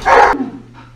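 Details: Alaskan Malamute, part of a family of the giant dogs eating together, gives one loud, short, harsh bark that cuts off sharply, followed by a low fading tail and a steady background hum.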